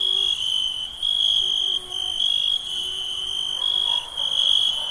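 A steady high-pitched insect chorus trills continuously through the night air, with faint overtones above.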